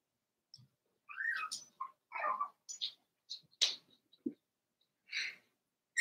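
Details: Four-week-old Cavalier King Charles Spaniel puppies in an indoor puppy pen give a string of short, high squeaky whimpers and yelps in irregular bursts, with quiet pauses between them.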